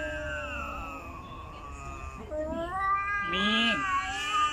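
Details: Angry female house cat that dislikes another cat: a drawn-out moaning yowl that holds steady, then rises sharply into a louder, higher wail near the end, with a few faint background noises.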